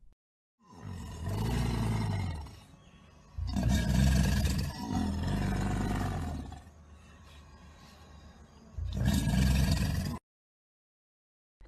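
A crocodile gives three deep, rumbling bellows, each lasting one to three seconds with short pauses between, and faint music underneath.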